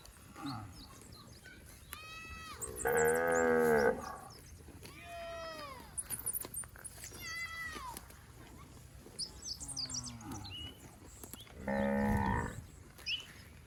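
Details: Roaming herd of fat, healthy village cattle on rice fields: two loud moos about nine seconds apart. Between them come shorter, thinner rising and falling calls and scattered high bird chirps.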